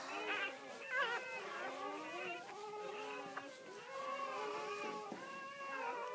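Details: Great Pyrenees newborn wailing during the mother's whelping: a run of thin, high, bending squeals and whimpers that overlap and rise and fall, with a brief pause midway and quiet room sounds.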